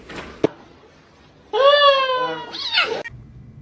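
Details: A domestic cat gives one drawn-out meow lasting about a second and a half, a steady harmonic tone that bends upward then falls away at the end, preceded by a brief sharp click in an otherwise quiet indoor setting.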